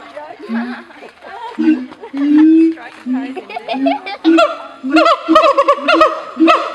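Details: Zoo siamang calling: low hooting booms and mixed notes in the first half, then an accelerating run of sharp, rising-falling barks layered over steady low booms.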